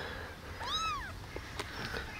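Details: Rescued abandoned baby kitten, taken in from the street eight days earlier and kept in a warm basement, walking about and drinking milk from a syringe; gives one clear, arching, tonal meow rising then falling, followed by faint taps and clicks.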